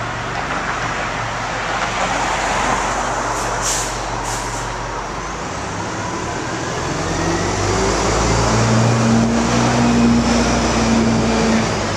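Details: Loud street traffic roars continuously, with passing heavy vehicles and a brief hiss like an air brake.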